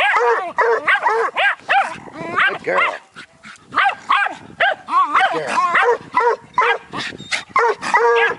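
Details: A young Bluetick Coonhound and a Jack Russell terrier bay at a raccoon. Rapid, overlapping yelping barks come in irregular bursts with a brief lull midway, while a handler urges the dogs on.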